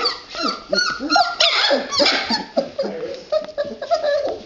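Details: Red Standard Poodle puppies in a whelping box, a litter giving a busy overlapping stream of high, squeaky whimpers and short yips, rising and falling, with several pups calling at once indoors.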